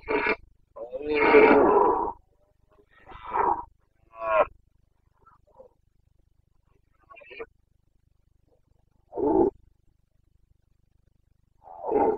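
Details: Red deer stag of the Carpathians roaring in the rut, Bucovina, 29 September 2022: one long, harsh bellow at the start, then shorter coarse grunts and roars separated by quiet pauses of several seconds.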